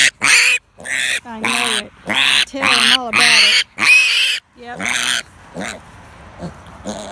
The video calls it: What it sounds like to pick up a piglet